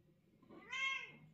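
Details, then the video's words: Talkative mother cat addressing her kitten and owner: a single short meow that swells and arches downward, bright and tonal, over a faint room hum. "Общительная мама кошка мяукает и разговаривает с своим милым котёнком и хозяйкой"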